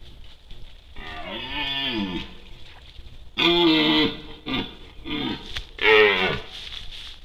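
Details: A red deer (Cervus elaphus) stag recorded by a camera trap during the rut gives a series of hoarse, rising and falling rutting bellows.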